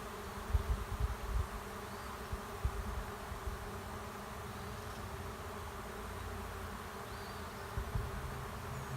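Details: Honey bee swarm settling into an empty hive left at a driveway's end. A continuous low buzzing drone of countless bees, broken by a few soft low thumps near the start and again toward the end.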